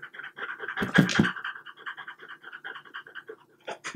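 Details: French Bulldog indoors while eating small cubes of boiled unseasoned chicken breast; quick breathy pants in a steady run, broken near the first second by a louder burst of chewing or smacking, with a few sharp clicks at the end.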